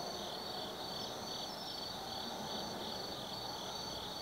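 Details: Autumn insects calling at night in the forest of Tsukimi no Mori, Kaizu, Gifu, Japan, 180 m above the Nobi Plain: dense, steady high trilling in stacked bands, with faint pulsing and a soft background hiss.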